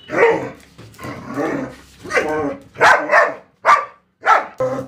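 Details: Pet German Shepherd at play with a balloon, giving a run of loud, rough barks and growly woofs, about seven bursts in five seconds, with short silent gaps between them.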